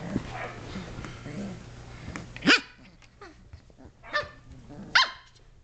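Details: Shetland Sheepdog puppies, 7.5 weeks old, playing and wrestling indoors; three sharp, bright barks spaced about a second or more apart, mixed with scuffling and low growly noise from the play.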